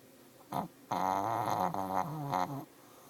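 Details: Snoring Shih Tzu with sinus issues: a short snort followed by a long, wavering, rattling nasal breath of nearly two seconds, with whistly overtones.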